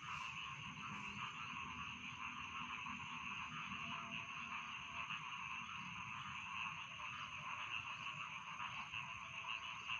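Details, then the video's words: Rice field frogs calling at bedtime: a dense, unbroken chorus of overlapping croaks and trills forms a steady mid-pitched wash with no pauses, over a low rumbling background. "Bedtime Frog Sound || Suara Katak Sawah Pengantar Tidur"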